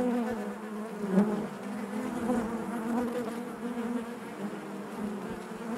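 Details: Honey bees buzzing inside their hive, a dense steady drone with a strong low hum and stacked harmonics, swelling slightly around the first second, many insects sounding together without pause.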